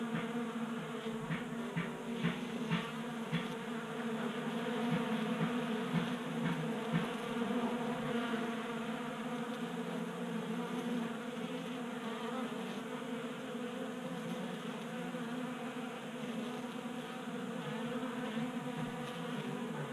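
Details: Honey bees active in a Colorado garage in January, drawn to a 3D-printed feeder; dense overlapping buzzing forms a thick steady drone, with brief brighter flickers as individual bees fly near, mostly in the first half.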